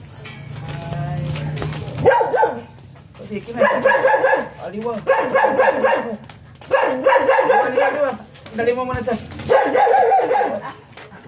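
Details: Siberian Huskies at a stud session, dam and sire both first-timers, give wavering, whining howls in bursts about a second long, rising and falling, after a brief low hum at the start.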